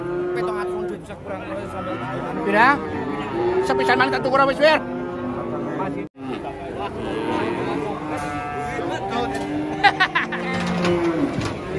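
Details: Cattle calves arriving at a livestock market in Indonesia, a male and a female: drawn-out, low, wavering moos, several overlapping, mixed with laughter, clapping, people talking and background music.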